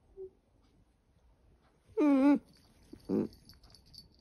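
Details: A female Dachshund gives a brief, nasal whine that slides downward, fawning for affection while her belly is stroked by a young relative she usually looks down on.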